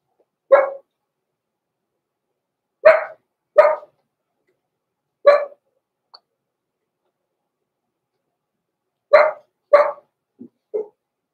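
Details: Cavalier King Charles Spaniel puppies of blenheim colouring, from a small litter born November 14, 2022, indoors in a puppy pen before Christmas; sharp, high puppy barks in pairs and singles with long quiet gaps, ending in two softer yips.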